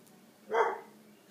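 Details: Deutsch Drahthaar from a Romanian hunting dog kennel giving a single short, harsh bark over quiet background.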